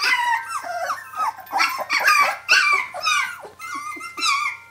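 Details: Seventeen-day-old puppies indoors calling for their mother: a rapid jumble of high, squeaky whines and yelps, many overlapping, rising then dropping in pitch, about two per second, with a faint steady tone in the background.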